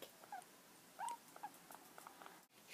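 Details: New pet guinea pigs in their first week at home, being cuddled and stroked indoors; short, thin squeaks rise sharply in pitch, with a clear one near the middle, among soft rustling and quiet handling noise.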